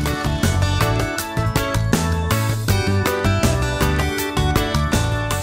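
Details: Lively instrumental music with rhythmic plucked and percussive notes fills the whole stretch, and no animal can be heard.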